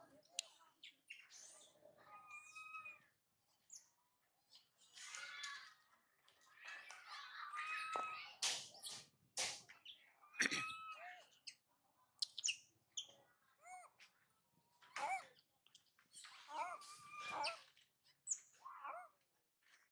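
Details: Spoiled baby monkey Mila cries after mother Malika goes far for food, running to brother Marto, who rejects her; short arched, squealing cries come in bursts between pauses, mixed with sharp rustling and clicking sounds.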